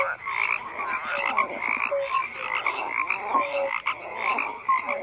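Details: Frogs croaking in a crowded chorus, rasping pulsed calls interwoven with short clear whistles and low drawn-out notes, steady density with small lulls, only frog voices audible.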